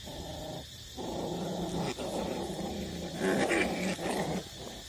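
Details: Eight-week-old puppies, street dogs, still nursing from their mother; low, rough growling and grunting runs almost continuously, broken by brief pauses near one and two seconds.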